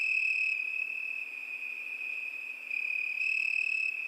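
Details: Crickets singing on a summer night: a steady high continuous trill, with a second higher band fading in and out, as several insects overlap in a calm chorus.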